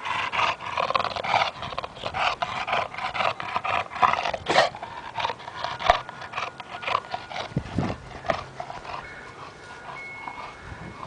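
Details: A family dog inside the house snorts and pants in rough, breathy bursts, roughly thirty a minute and unevenly spaced, while looking around; faint steady tones and a few soft knocks sit underneath.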